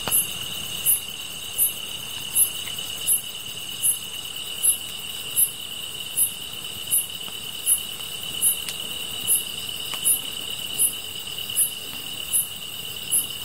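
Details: Grass insects sounding by a fire: bright, brief chirps recurring roughly every three quarters of a second, layered on a continuous shrill whine from other insects, with occasional soft ticks.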